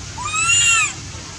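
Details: Milto the monkey crying loudly because it misses its mother and wants to go home: one shrill, arched, harmonic wail rising then falling over about three quarters of a second, over a low steady background rumble.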